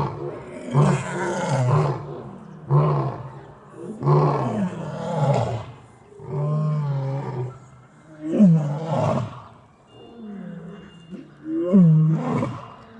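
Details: Lions in Taigan lion park, Crimea, give their evening roll call, deep throaty roars answering one another every couple of seconds.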